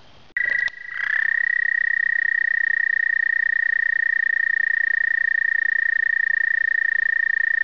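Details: American toad singing in spring during its 2010 breeding migration to the egg-laying pond: one long, steady, high musical trill of rapid pulses that starts abruptly and holds an even pitch for about seven seconds, with a brief rustle at the start.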